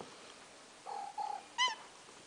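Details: Two pet house cats meowing over food during cat-sitting, December 4th, 2023: two short, level mewing tones, then a brief, bright, harmonic-rich meow, in a quiet room.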